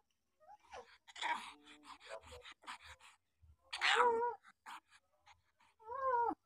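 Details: Seven-day-old puppies whimpering in a rural setting: breathy grunts, then a loud wavering whine near four seconds and a downward-sliding squeal at the end, with faint low thumps.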